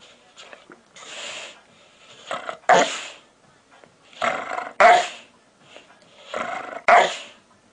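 A Pit Bull gives odd, breathy grumbles that build into a loud, rough bark, repeated every two seconds.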